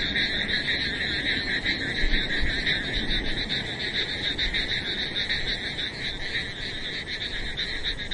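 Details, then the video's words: In wilderness rain, many frogs keep up a continuous throbbing chorus, rapid trills stacked in two high bands, with steady rainfall hissing underneath. "Discovering the Beauty of Frogs and Rain in the Wilderness"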